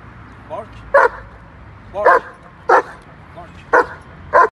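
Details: German Shepherd dog during training: five sharp, loud barks spaced about half a second to a second apart, each preceded by a short, softer sound.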